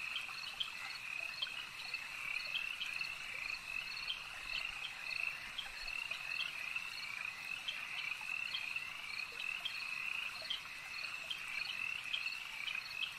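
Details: Chorus of many frogs at a lake, an unbroken high-pitched trilling drone with brief sharp croaks repeated irregularly over the whole stretch, evenly loud throughout, low hiss underneath.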